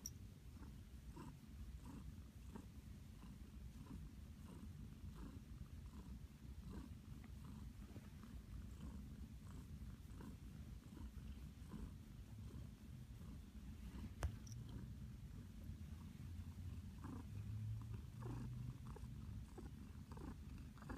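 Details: Flower, a pet cat, purrs happily while nestled in a blanket nest made for her, a steady low rumbling purr running through the whole stretch with soft rhythmic pulses and faint rustling indoors.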